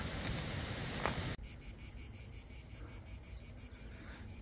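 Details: Cicadas singing in the vineyards of the Aosta Valley during an uphill climb, a rapid pulsing buzz of high rasping bursts steadily repeated after an opening stretch of rustling and footsteps.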